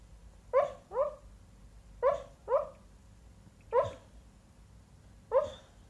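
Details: Dreaming dog gives muffled, soft woofs in pairs: two quick boofs, a pause, another pair, then single woofs, six in all over six seconds, in a quiet indoor room.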